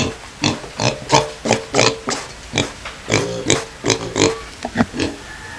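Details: Two native pigs at feeding time, kept with native chickens: a rapid series of short, harsh grunts and snorts, roughly three per second, uneven in rhythm, with faint background noise.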